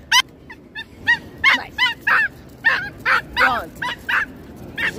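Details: Pituca, a stressed pinscher at the beach who starts barking as soon as she arrives, gives a rapid series of high, sharp yapping barks, some with whiny rising edges.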